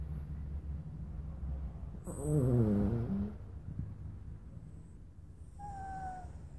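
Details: A Bichon Frise named Luna lets out one wavering whimper lasting about a second, its pitch wobbling and then sliding downward, over a low steady hum; a brief thin tone sounds near the end.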